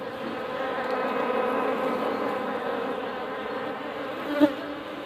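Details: Honey bees droning during honey harvesting, a steady low buzzing hum with layered tones throughout, and a brief sharp knock near the end.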